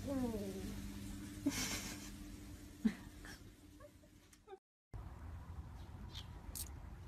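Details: A pet cat gives a short meow at the start, a falling, drawn-out tone. A few soft clicks and thuds follow, then a brief silence and quiet room noise.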